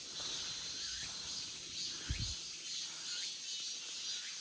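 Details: A chorus of cicadas in a forest in August fills the air with a steady, high, hissing buzz without a break.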